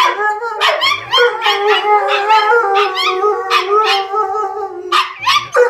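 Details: Kalia, a female Alaskan Malamute, howls alongside her small PomChi best friend Mikhos, the only companion she howls with. Long quavering duet howls, voices weaving up and down with brief yappy breaks near the end.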